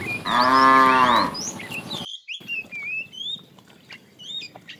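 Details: A fat tame cow in a herd being driven in the afternoon, calling the female: one loud harmonic moo lasting about a second, followed by a cut and varied chirping bird calls in the background.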